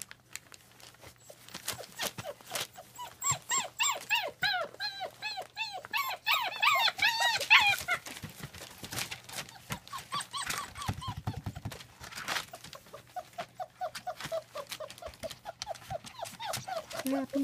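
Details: A litter of German Shepherd puppies from a kennel in Mayo, Florida, squeals in rapid high-pitched whines and yips, densest in the first half, then softer whimpers continue while a woman speaks to them.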